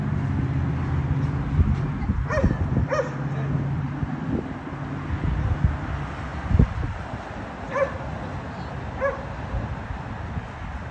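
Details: Dogs barking at a condominium, disturbing the neighbours, a noise said to happen three times every day; a few sharp distant barks over a steady low hum of traffic and machinery.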